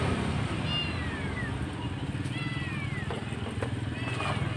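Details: Abandoned kitten, alone at a roadside and apparently left by its mother or dumped, crying very loudly: three high, drawn-out, falling meows spaced a second or two apart over a steady low rumble of traffic.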